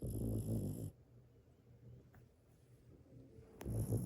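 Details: Dog snoring loudly while asleep: deep low rumbling snores at the start and again at the end, with a quiet breathing pause between them.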